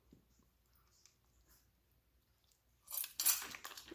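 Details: Near silence with faint ticks, then a burst of crunching, clinking handling noise in the last second; no clear animal voice.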